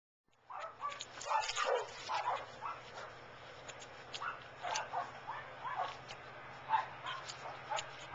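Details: Chow Chow fooling around and playing with its owner, giving a steady run of short grumbling yelps and whines, each lasting a fraction of a second and repeated throughout, with a low hum underneath.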